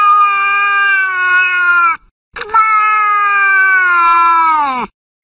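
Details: Domestic cat, in a set of sounds said to upset pets, giving two long, loud, steady wailing meows of about two seconds each, the second dropping in pitch at the end, with a short silence between.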